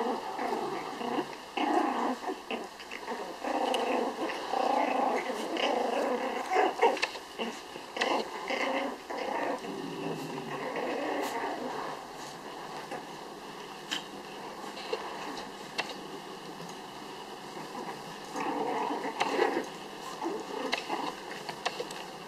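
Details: Litter of six home-raised Pomeranian puppies in a tug-of-war game, giving sustained gravelly growling that swells and fades in waves, with occasional sharp squeaks and quieter stretches toward the end.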